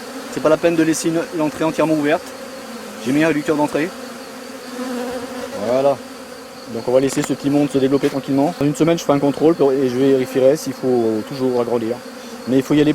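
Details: Honey bees at a rescued drone-laying colony, producing frequent bursts of deep, warbling buzz that come in quick succession, almost continuous in the second half over a steady hive hum.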